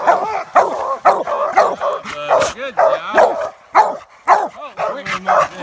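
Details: Coonhounds, American Leopard Hounds and a Treeing Walker, at a treed raccoon in a swamp. Their arched, yelping barks repeat about twice a second in an uneven, overlapping chorus, and a man talks quietly.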